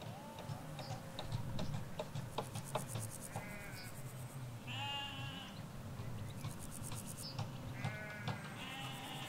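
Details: Sheep, ewes with their lambs, grazing a field in the Hampshire countryside: a run of shaky, wavering bleats, some higher-pitched, several overlapping in the second half, with high buzzy trills and low background rumble.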